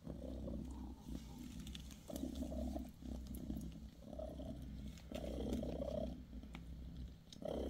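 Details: Bassy, a British Shorthair mother cat, purrs while tending her kittens indoors; a steady low rumble swells into bursts roughly every second, with faint rustling and small clicks over it.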